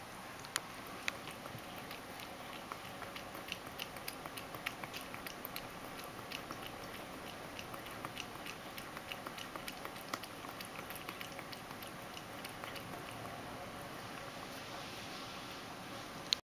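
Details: Mojio, a pet Ragdoll cat, drinks milk in a small room, messier than usual; steady rapid lapping clicks, several per second, run almost without pause over soft room hiss.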